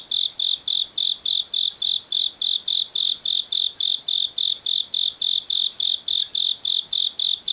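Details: Japanese burrowing cricket (Velarifictorus micado) calling song at higher temperature: clear, high-pitched pulses repeated steadily about three or four times a second.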